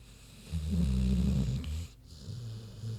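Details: Queenie, a big sleeping pig, snoring: a deep, low rumbling snore from about half a second to nearly two seconds, then a quieter, softer snore continuing to the end.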